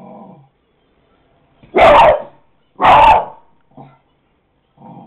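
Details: A dog barks at a dog shown on a computer screen, giving two loud, sharp barks about a second apart, with fainter sounds before and after.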